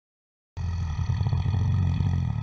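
A bear gives a deep, rumbling roar, a low throaty growl that pulses steadily without a break.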